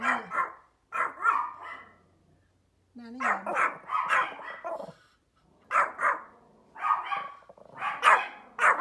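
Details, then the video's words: Outdoors, a small Pomeranian dog barks in bright, yappy bursts, often two or three in quick succession, separated by short pauses; a faint low hum and a brief human voice in the background. "The small Pomeranian dog makes a funny barking sounds outdoor"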